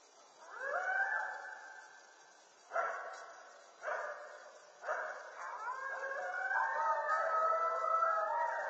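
Coyotes howl with wavering, sliding notes broken by a few sharp barks.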